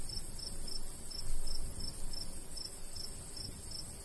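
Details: Crickets in a summer countryside wheat field with a light breeze: short high chirps repeated about three times a second in a steady series over a low rumble of wind.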